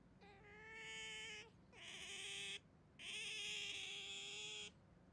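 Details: Pet otter kept at home, grabbing a hand during a playful 'handshake'. It gives three drawn-out, steady, whining squeals, each lasting about a second, with harsh, breathy overtones and short pauses between them.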